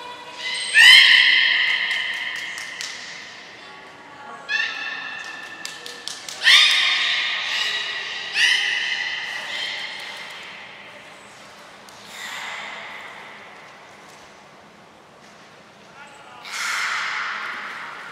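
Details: Captive belugas Gray, Nana and Mirai during a training session at Port of Nagoya Public Aquarium on 7 June 2022: bright, squeaky, harmonic-rich calls in bursts near 1, 4.5, 6.5 and 8.5 seconds, with softer ones around 12 and 16.5 seconds.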